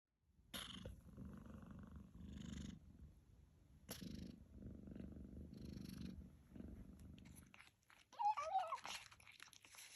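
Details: Newly rescued kitten, found outside late one night in May 2023, purring as it relaxes after eating. Steady low rumbling purr comes in long stretches of a few seconds with brief breaks, ending in louder rustling handling noise.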